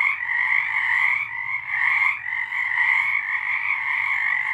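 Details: Frogs singing in March 2023, a continuous overlapping chorus of buzzy trills with gentle rises and falls in loudness and no break in the sound.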